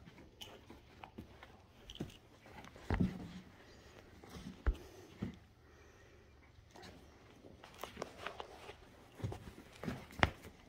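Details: Footsteps, soft knocks and chewing-like clicks in a small indoor room, with no animal voice heard.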